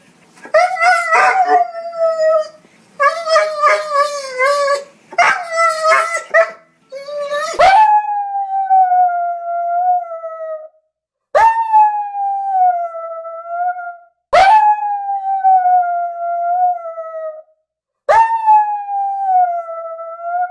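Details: Dog crying in sadness or pain: first wavering drawn-out whines, then a series of sustained falling moans, each starting with a sharp onset and trailing off, repeated about every three to four seconds.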